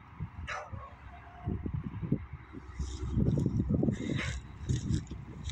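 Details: A beagle barks in the evening in short, sharp bursts over a low, rumbling background.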